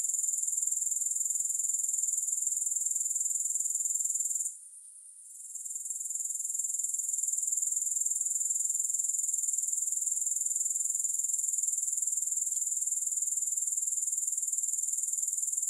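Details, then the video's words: Long stretch of steady, very high grasshopper chirring, densely pulsed and uniform, broken only by one short quiet gap partway through; no music or other voices. "3 Hours of Grass Hopper Sounds"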